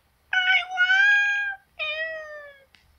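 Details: Simba, a male pet cat, meowing over and over at night, begging to be let out onto the deck: two loud, drawn-out harmonic meows, the first long and wavering, the second shorter and sliding downward, then a faint click.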